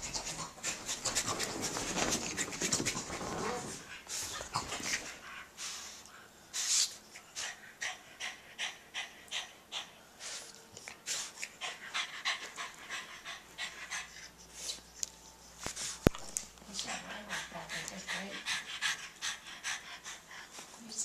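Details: After play, Jack Russell Terrier Molly and French Bulldog Elmer, filmed 30 April 2012, pant hard; rhythmic huffing breaths repeat rapidly and evenly after an opening flurry of noisy scuffling.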